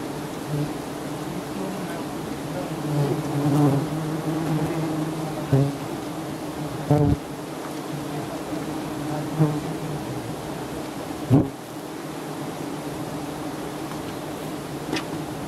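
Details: Giant honey bees at a nest high up being harvested by honey hunters in Thailand: a dense, steady low buzzing hum of many bees, with a few sharp knocks and brief clatters breaking through.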